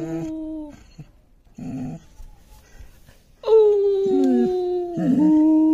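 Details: Gabbar, a five-month-old long-coated German Shepherd puppy, howling indoors in reaction to an irritating sound: short broken notes and low grumbles, then drawn-out howls that dip and slide downward, with a steady tone returning near the end.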